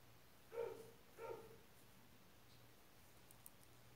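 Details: A young white-eared opossum from a litter from Mococa and Pitangueiras gives two short, harmonic, whining calls in quick succession.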